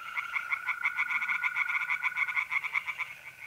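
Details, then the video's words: Mid-April night at a pond in north-east Italy: tree frogs give quick, rasping pulsed croaks, roughly several per second, over an unbroken thin trill from mole crickets. "relaxing singing tree frogs in pond and trilling mole crickets by night"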